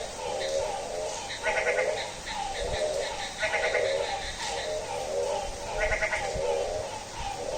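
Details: Bleating, goat-like frog calls on a rainy night at midnight, pulsed nasal bursts repeated roughly every two seconds in a steady series, with constant rain hiss behind.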